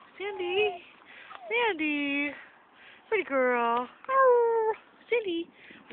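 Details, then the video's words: Dog howling at a park soon after arriving from a walk: short wavering, tonal wails that rise and fall, broken by brief pauses, with a woman's voice speaking to the dog nearby. "Howling puppy"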